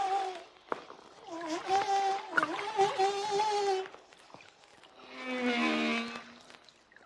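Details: Humpback whale song from Hawaiian waters, shallow enough that the deep's booming echoes fade: sustained harmonic moans bending up and down, then a rich buzzy upper-pitched unit over a steady low tone.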